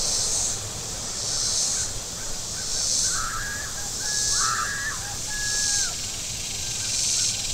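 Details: Very warm day at Table Rock Lake, southern Missouri, with shoreline cicadas pulsing in high, hissing buzzes about every 1.4 seconds, while harsh mid-pitched bird calls break in near the middle and a soft low rumble runs underneath.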